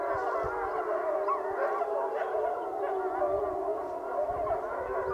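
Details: The Wapiti Lake gray wolf pack gathers for a group howl, with many drawn-out, gently rising and falling voices overlapping in a dense, continuous, sustained chorus.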